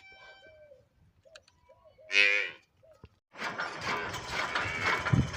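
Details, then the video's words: Water buffalo calf giving a single brief, loud bleat in the middle, preceded by faint squeaks and followed by a burst of broad rustling, clattering noise. "buffalo original sound"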